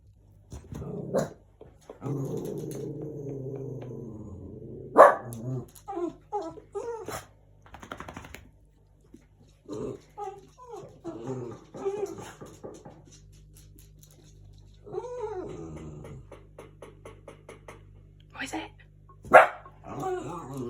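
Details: Young rescued pug and Chihuahua cross dog reacting to knocking sounds indoors, giving a low growl, then scattered short barks and yips, with a person asking what it is.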